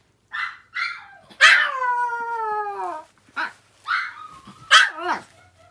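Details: Indoors, an older female dog answers her younger sister's whining with a howl: a few short high yips, then one sustained howl sliding slowly downward for about a second and a half, followed by more brief yelping cries.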